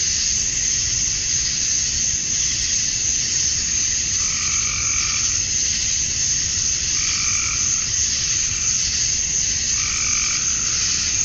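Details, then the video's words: Male cicadas in Georgia, USA, calling for females at summer dusk: a continuous piercing drone overlaid by a short, croaking, two-toned call repeating roughly every three seconds, probably a frog. "Cicadas at Dusk, Summer Night"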